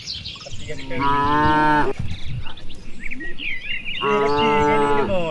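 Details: Cattle in a wide rice field on an afternoon, grazing among dozens of others: two steady, flat, nasal moos each about a second long, separated by a short pause, with bird twitters above.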